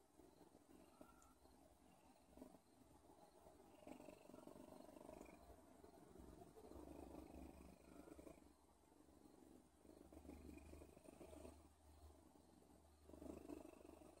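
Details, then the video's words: Domestic cat purring: a low, continuous rumbling drone that swells and fades in slow waves over about fourteen seconds, with faint rustling in the background. "Odin purrs"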